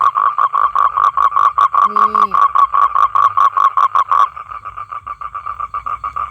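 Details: Small male toad calling females to come and mate: loud, regular buzzy pulses, about two and a half per second, softening and thinning in the last two seconds, with a brief spoken word partway through.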